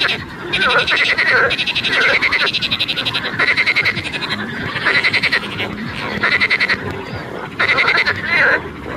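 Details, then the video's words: A frog croaks in a series of rasping, rapidly pulsed bursts, each about a second long and separated by short pauses, with about eight bursts over nine seconds and a steady, fairly loud level throughout. "sound of a frog лягушка"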